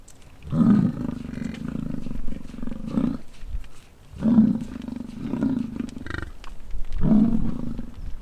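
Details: Rutting American bison on a Wyoming ranch near Wright: three long, low growling roars, the first stretching nearly three seconds, deep and rough like a lion, with faint rumbling between calls.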